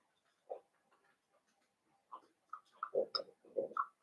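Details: Litter of five blenheim Cavalier King Charles Spaniel puppies, born at New Year's to Paris and Spike, squealing indoors; short nasal yelps start isolated, then come in a quick run of louder squeals over the final two seconds.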